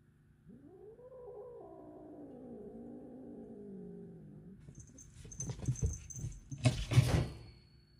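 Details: A short-legged cat growls in a long, low, wavering moan with stacked harmonics lasting about four seconds, as a long-legged cat punches it off a stand; then clattering, thumping scuffle noises follow.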